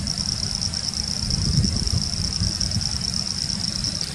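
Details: Chorus of Pseudopaludicola falcipes and Elachistocleis bicolor frogs in the Laguna Garzón area, Maldonado, Uruguay, December 2019; a steady high-pitched trilling drone, slightly pulsing, under strong low-frequency wind noise.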